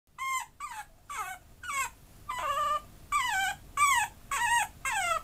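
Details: Maltese and Chihuahua cross dog whining in a quick series of about nine high, harmonic whines, each sliding downward, spaced roughly half a second apart with brief quiet gaps between them.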